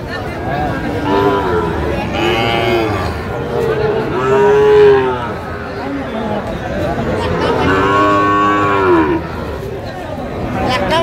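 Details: Several overlapping moos from Sahiwal bull calves for sale at a Cumilla cattle market, 19 April 2025: rising-then-falling harmonic lows repeating every few seconds, set within steady chatter from a busy crowd.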